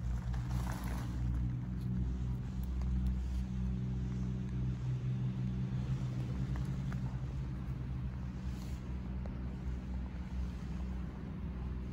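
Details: A low, droning engine hum like traffic or a motorboat runs throughout, with no animal calls.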